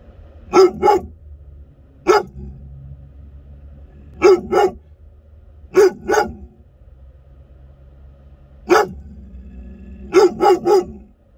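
An American Akita gives deep, loud barks, singly and in quick pairs or triplets.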